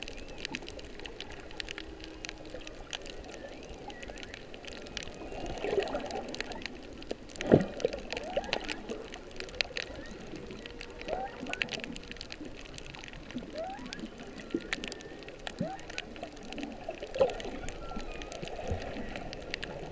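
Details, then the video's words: Whales singing underwater in late whale season off Kihei, Maui, north of Kam 3 beach, March 15, 2016, recorded by a snorkeler's GoPro Hero 3+ Black: faint drawn-out moans and short rising tones beneath constant crackling clicks and sloshing water. "Whale and Dolphin Sounds"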